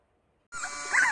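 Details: Hunny, a three-month-old Labrador Retriever puppy, gives a brief high whine that starts abruptly and climbs into a wavering, slightly squeaky tone lasting about half a second.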